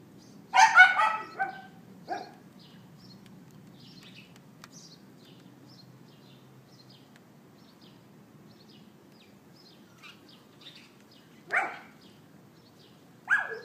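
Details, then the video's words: Documented on 18 April 2012 at 11:31 AM with an iPhone 4S, a neighbour's dog yaps in a short flurry of barks, then falls silent for long stretches before two isolated single barks near the end. "Dog Yapping"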